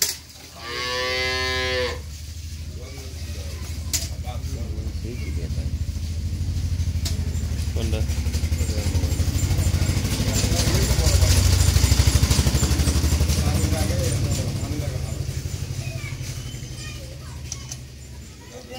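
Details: Holstein Friesian cow, mother of a newborn heifer calf and offered for sale, with a short, strained, harmonic moo at the start, followed by a long, loud rumble of a passing motorcycle engine.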